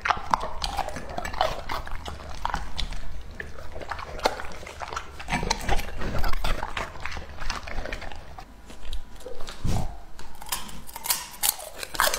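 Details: Two-and-a-half-year-old male English-type Labrador Retriever eating raw meat at close range. Wet, crunchy bites and smacking land irregularly over a low rumble, with occasional louder crunches. A woman's voice is heard nearby.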